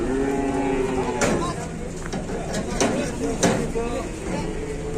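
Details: Cattle in Indonesia, with a cow described as squeezed or trapped: low, droning harmonic lowing that starts the clip and returns later, broken by sharp clatters and knocks, with people talking nearby.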